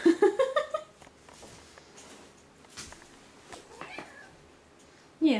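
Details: Cat out for a walk in a stroller, opening with a quick series of five or six short, insistent rising meows, then quiet with faint rustling, and one more loud meow at the end.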